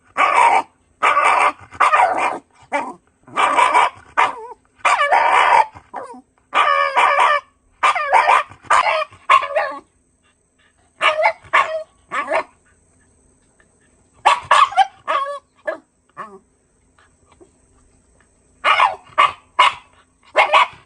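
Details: Shiba Inu barking during a midday walk where a goat was met: loud sharp barks in rapid runs of several, with pauses between bursts and a few whining yips.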